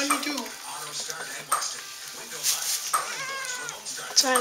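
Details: Newborn Saanen/Alpine kid goats, the first kids born on a hobby farm in May 2012, give thin, wavering, meow-like bleats with rising and falling pitch among close, excited human voices.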